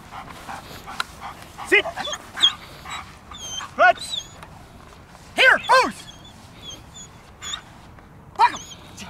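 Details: Milo, a jet black German Shepherd in protection obedience work, lets out scattered loud barks between spoken handler commands, while high thin bird chirps sound in the background.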